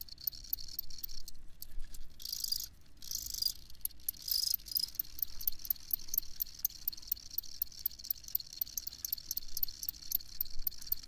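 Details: Cricket chirps tick out in a regular, evenly spaced series of sharp high pulses over a softer background hiss of more distant chirping.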